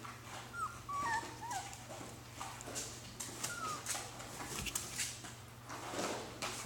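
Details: Alaskan Klee Kai puppies playing in their boxes indoors; brief high whimpering whines, some rising then falling, clustered in the first two seconds and again near four seconds, over constant scratching, thumping and scuffling noises.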